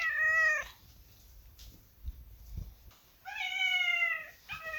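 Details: Kitten giving two long, clear meows with a falling tail, separated by a quiet pause with faint low rumbling and small knocks, then the start of a third short mew.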